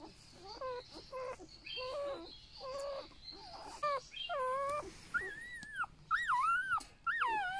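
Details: Newborn golden retriever puppies, eight in a litter, handled and shown one by one at a rural family home; repeated high whimpers and squeals, short early cries then longer rising-falling wails near the end, with a little speech in the background.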